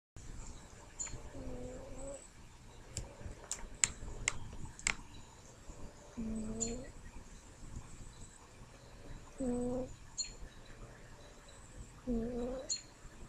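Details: Pet cat named Smokey snoring indoors: slow, droning, tonal breaths rising and falling every three to four seconds, with sharp clicking taps in between.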